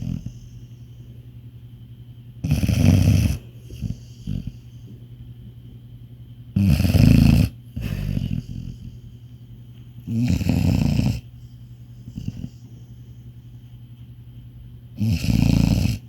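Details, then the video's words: Sleeping Labrador Retriever in deep sleep giving heavy, low, rumbling snores roughly every four seconds, each lasting under a second, separated by quieter snuffly breaths; a steady faint hum continues underneath. "Dog SNORING (Deep Sleep Dog)"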